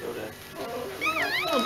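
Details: Bichon Frisé puppies of a first litter: thin, high, wavering whines in the last second, heard under people chatting indoors.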